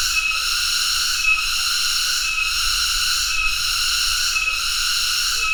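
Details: Cicada, called tonggeret (Cicadidae), producing a piercing buzzy whine with rhythmic one-second pulses, steady in loudness throughout, faint low noise underneath.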